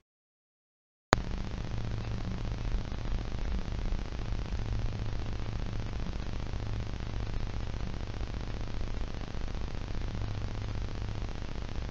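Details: After a second of silence, a steady low engine rumble with a faint hum runs to the end, and no animal is heard.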